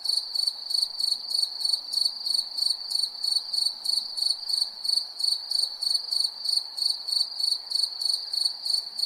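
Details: Crickets at night chirping in a steady, high, shrill trill, pulsing about three times a second with a thin overtone above, over a soft low background hiss.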